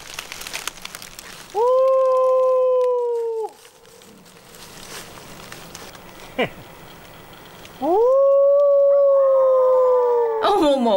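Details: Pet dog howling along in chorus with a sudden outside sound, deep in the mountains with no phone signal; two long steady howls, each rising at the start and held level about two seconds, separated by quiet, with faint murmuring from people.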